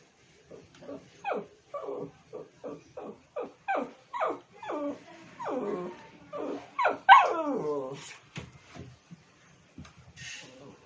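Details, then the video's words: Pet Shih Tzu calling to get another dog's attention: a long series of short, high, whiny yips and whimpers about three per second, rising to a louder yelp near the middle, then softer. "How does a dog sound when he tries to call the attention of another dog"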